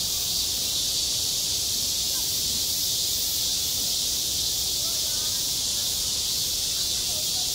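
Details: A constant wall of high, hissing buzz from cicadas calling on a schoolyard in high summer. It never lets up, the intensity stays level throughout, and a soft low murmur sits beneath it.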